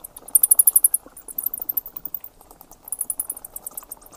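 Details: Thin, very high bat squeaks in quick trains, with a bright rapid run early on and another near the end over a soft low murmur.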